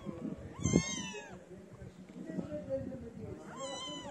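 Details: Street kittens crowd around a person who feeds them. Two drawn-out meows, each rising briefly then sliding down, come about three seconds apart over low rumbling background noise.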